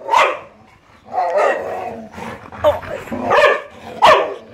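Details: Siberian Husky and Labrador dogs at play, with sharp barks and drawn-out, vocal grumbles alternating over a few seconds, loud bursts at the start and end.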